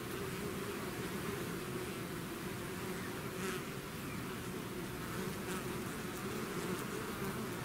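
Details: Steady hum of a bee swarm emerging from its hive, many wings blending into one constant buzz with brief brighter flickers of nearby fliers.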